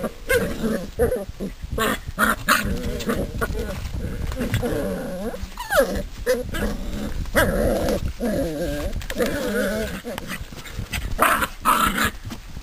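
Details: Seven-week-old Drever puppies playing together, giving continuous wavering growls and whiny yelps that rise and fall, with scuffling noises throughout.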